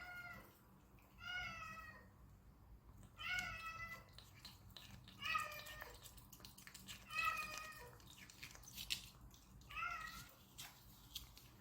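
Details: Stray desert cat in Abu Dhabi during a treat party, giving a series of short, harmonic meows roughly every two seconds, some rising then falling, over a quiet low background hum.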